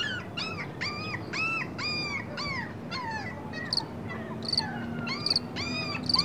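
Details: Dog whining in a string of arched, nasal calls, each rising then falling, with rich overtones, given in quick succession. Later sharp, high chirps from another animal cut in over a steady low hum.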